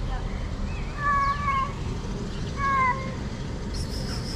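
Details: Hungry cats gathered in a garden in Morocco give two clear, drawn-out meows, the first longer and wavering, the second shorter, with constant low traffic rumble behind and a brief rustle at the end.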